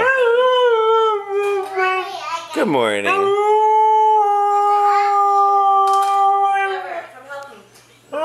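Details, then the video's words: Female Siberian Husky 'talking' in a morning greeting indoors, a long tonal howling vocalisation with a sharp upward yodel-like swoop, then a steady held note, mixed with a person's speech. "Rise and Shine Team Mishka the Talking Husky!"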